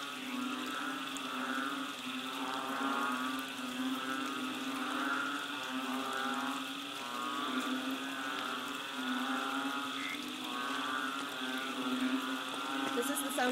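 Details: Banded bullfrogs calling together during March 2011 rains behind a bungalow on Koh Lanta, Thailand, many overlapping deep, drawn-out mooing notes swelling and fading in waves into a continuous hum, with no other clear sounds.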